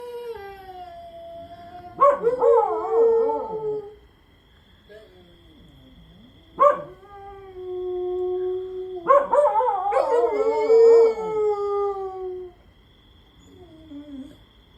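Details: Two pet dogs howl together, one lazily lying down while its friend keeps howling nonstop; long wavering tones with rich harmonics, overlapping bursts around two, six and nine seconds, separated by quieter gaps and a steady background hum.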